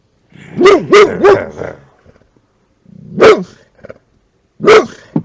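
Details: Boxer dog guarding a car, acting as a car alarm: a quick run of three loud barks, then a pause and two single sharp barks about a second and a half apart, with nothing else clearly heard.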